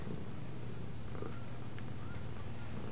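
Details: Low, rhythmic purring from a house cat runs the whole clip, with a few faint high whistled squeaks appearing briefly near the end.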